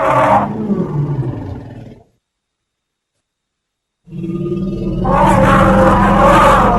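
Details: Elephant giving deep, harmonic roaring calls in two bursts separated by about two seconds of silence, the second burst louder and rougher with a steady low rumble underneath.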